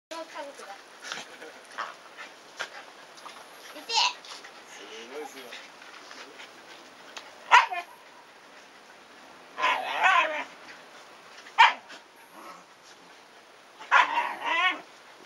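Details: Shiba Inu family in a garden: 104-day-old puppies chase their visiting father in play while the mother appears to scold them. Short sharp barks and yelps burst out irregularly, about five bouts over fifteen seconds, with quieter scuffling between.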